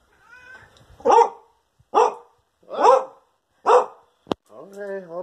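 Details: Pet dog barking angrily while begging and demanding spaghetti until it gets some. There are four loud, rough barks roughly 0.9 seconds apart, then a sharp click and a brief voiced whine-like sound.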